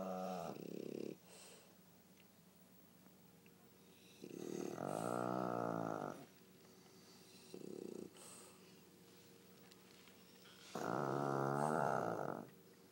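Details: Duet of snores from a sleeping Pug, Pangpang, and a French Bulldog, Pipi: deep, fluttering, droning snores lasting one to two seconds alternate with shorter rough ones, separated by soft breathing.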